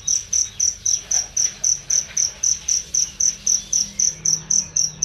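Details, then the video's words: Cricket chirp for teaching songbirds, loud and clear: about nineteen sharp, high-pitched pulsed chirps in quick, regular succession, almost four each second, over a quiet background. "masteran jangkrik untuk burung"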